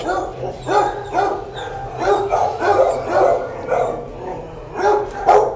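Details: Dog barking, the mother Margot with her eight pups: a run of short, mid-pitched barks, roughly two a second and unevenly spaced, over a steady low hum.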